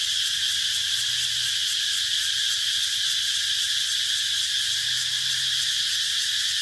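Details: Steady, shrill cicada drone with a faint, even pulsing through it, continuous and unchanging in loudness.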